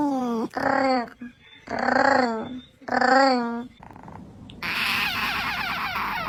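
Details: Domestic cat making funny noises indoors: three drawn-out, wavering, moaning yowls about a second each, then a burst of hissy noise.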